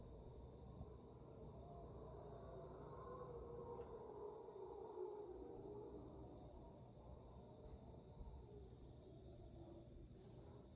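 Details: At 5am in Panamanian rainforest, mantled howler monkeys give their raucous dawn chorus on March 8, 2023. Far-off guttural roars rise and fade over a continuous insect whine.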